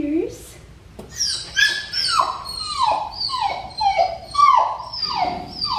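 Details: Neutered black tri male puppy from Clementine's litter at Fifteen Acre Farms, whining while being bathed: a run of high, falling whimpers with bright overtones, roughly one every half second to second, after a quiet start.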